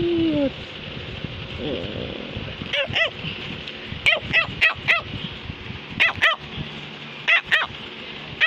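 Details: Cavalier King Charles Spaniel at home barking to get a message across to its owner: a brief whine, then bursts of quick, sharp barks, often doubled, spaced about a second apart.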